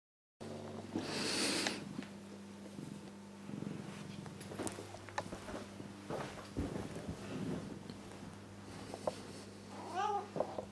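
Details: A spoiled male pet cat, indoors, sitting on a chair he is repeatedly trained to leave, purring steadily throughout as a low continuous hum, with a rustling burst early and a short rising meow near the end.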